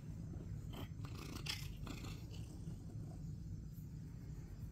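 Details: Male house cat Critter purring loudly while getting back pats, his favourite way to be petted, just before he tries to bear-hug an arm and falls off an ottoman; continuous low purring with a few rustling and scuffling noises.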